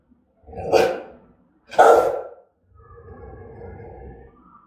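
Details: Aggressive, threatening barking of a Rottweiler of German type: two loud, harsh barks about a second apart, followed by a quieter murmuring background.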